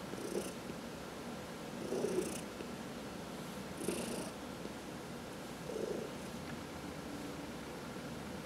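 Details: Cat purring as it is massaged, one of four household cats; quiet rhythmic rumble rising in breathy swells about every two seconds.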